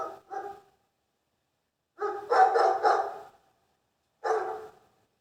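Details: Dog barking in short, harsh, mid-pitched bursts: two quick barks at the start, a tight run of about four louder barks after a pause, then one final bark; silent gaps between, no other sounds.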